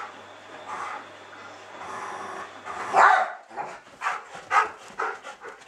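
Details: Two schnauzers, Bodie and Eric, close friends letting off steam in a rough play rumpus; broad, noisy barks and growly yips burst irregularly, loudest around the third second, then several sharper barks follow in quick succession.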